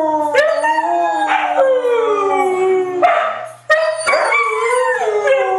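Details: Howling together, three white huskies layer long wavering tones broken by sharp yelping onsets and a brief dip before the chorus swells again.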